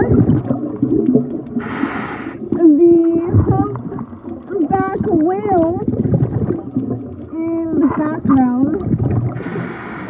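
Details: Singing male humpback whales during breeding season, recorded on a midnight dive: a rich sequence of harmonic moans, whoops and upswept cries, closely spaced, with two brief roaring bubble bursts and constant low underwater noise.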